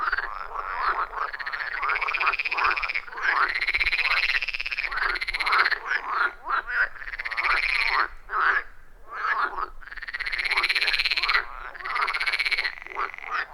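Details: Frog chorus at a wild forest pond deep in the forest: long trilled calls that rise and then fall in pitch, repeated in overlapping bouts, with a brief pause near the middle.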